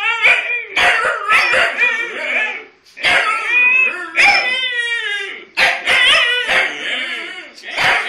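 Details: Two Huskies keep up a loud, continuous stream of warbling, yodel-like howls and yips, pitch sliding up and down in long harmonic phrases, with short gaps between bursts and voices overlapping at times.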